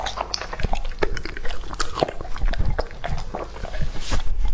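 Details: Lucky, a two-and-a-half-year-old male English-type Labrador Retriever, eats raw food indoors: sharp, crunchy bites and wet chewing come in irregular bursts over a low, thudding rumble.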